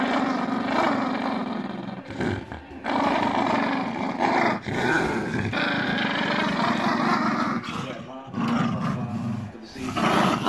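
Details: Playful Jack Russell Terriers growl in long, gravelly rumbles broken by short pauses, swelling and dropping over ten seconds, with human voices mixed in.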